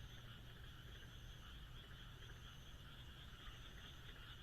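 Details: Frogs croaking on a moonlit night in the Japanese countryside: a dense, unbroken chorus of many callers forms a steady trilling wash, with a faint, recurring high buzz and low rumble underneath.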